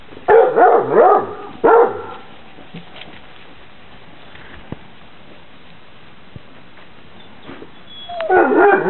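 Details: Eight-week-old Basset Hound puppies, outside for the first time on 26 December 2008 in Poland, cry in bursts of high, wavering yelps and whines rising and falling in pitch. A quiet stretch with faint clicks precedes a final outburst.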